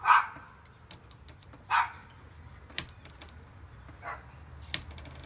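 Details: Kesha, a Manchester Terrier, chasing an imagined squirrel, gives two loud, abrupt barks about a second and a half apart, then a fainter bark later, with light clicks and rustling between.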